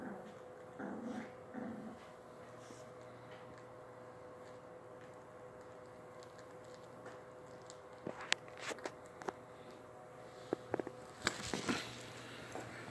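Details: Low, rough dog growling comes in brief bursts at the start, then a long quiet stretch with a constant hum, and finally sharp clicks and clattering knocks toward the end.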